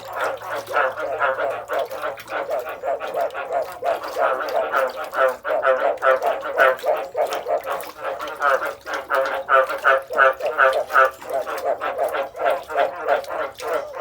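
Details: Many frogs calling together in a dense chorus of rough, pulsing croaks that overlap and repeat several times a second. Loudness rises and falls in waves, with no other clear sounds.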